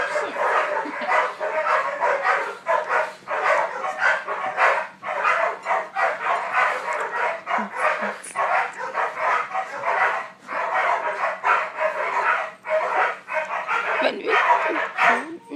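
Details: Puppy playing tug, giving a rapid run of rough, broadband growling barks about a hundred a minute, uneven in rhythm, with a steady low hum and a person speaking nearby.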